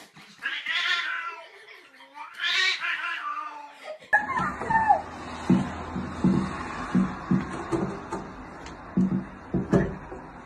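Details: Cat giving two drawn-out, harmonic yowls in the first three seconds, then a cut to a different scene of irregular thumps and clatter with faint background sound.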